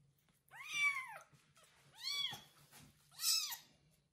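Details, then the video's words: A kitten named Kubik meows loudly indoors after his first bath while a pregnant foster mother cat licks and cares for him; three high, arching meows, each about half a second long, come roughly a second apart against a faint low hum. "Foster mom cat takes care of loud meowing kitten after his first bath"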